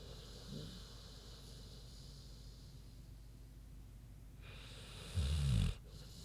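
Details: Big pig Queenie snoozing; mostly soft breathing, then one brief, deep rattling snore near the end.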